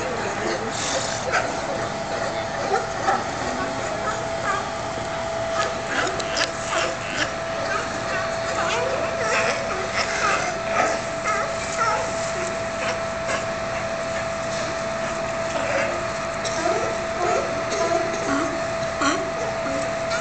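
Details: A colony of California sea lions at Pier 39 in San Francisco barks and honks over one another in a steady, overlapping din.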